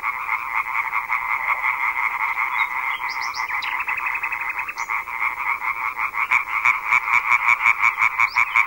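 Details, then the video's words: Deafening massed calling of European tree frogs at a large gathering, said to carry over a kilometre: steady harsh croaking chorus with individual callers pulsing quickly, a few higher squeaky rising notes in the middle. "chant des reinettes vertes est alors si puissant qu'il porte parfois à plus d'un kilomètre [Rires] [Rires] rainette"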